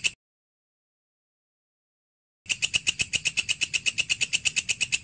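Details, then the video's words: Belalang kerik, the walang kecek grasshopper, used as master sound for training cage birds, begins after a brief silence with a rapid run of even, scratchy, ringing pulses, steady and high-pitched, over a low background hum. "Masteran walang kecek / belalang kerik cocok untuk masteran semua burung"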